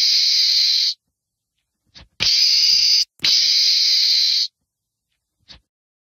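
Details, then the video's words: Screaming meerkat: three long hissing, rasping blasts of about a second each, the middle two close together, with faint clicks in the silences between. "Meerkats Scream"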